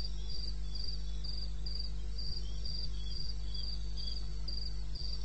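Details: Cricket calling from eastern Botswana wilderness at 2:30 am, 21 May 2016. High clipped chirps at a slightly uneven pace, a fainter second chirper slightly lower, and a continuous low background hum.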